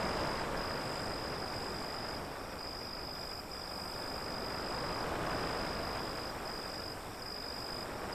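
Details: Crickets trilling as a steady high-pitched band with brief regular dips, under loud continuous surf from waves beyond an alley.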